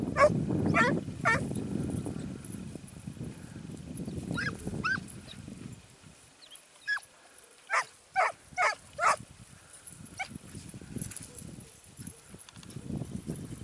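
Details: Segugio Italiano, apparently named Sofiko, in hare hunting training in Evros on 12 September 2018. Scattered barks, then a quick run of five sharp, clipped barks midway, over low rumbling outdoor noise.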